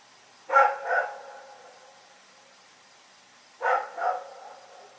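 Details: Rex, a dog, barks in the night: two double barks about three seconds apart, each pair quick and sharp, with quiet between them.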